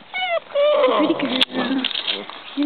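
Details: Basset Hound puppies interested in visitors whine in short, high, falling cries, two in quick succession at the start and a thin one at the end, mixed with a person's cooing voice and a sharp click.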